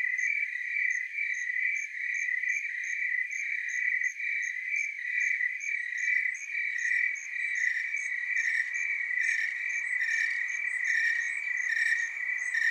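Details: Willamette Valley, Oregon tree cricket chorus: a continuous high trill with faint pulsing, joined in the second half by soft rustling background noise.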